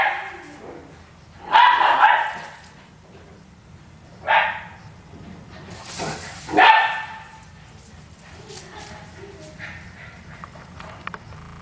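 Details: An Italian Greyhound and a Miniature Pinscher racing around in play; a loud bark burst near two seconds, further barks around four and six and a half seconds, with quieter voices and rustling between.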